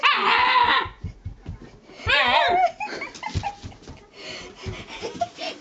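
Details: Old Shiba Inu kicking up a fuss indoors before pooping, giving long wavering whines and howl-like cries, then scattered short yips and scuffling.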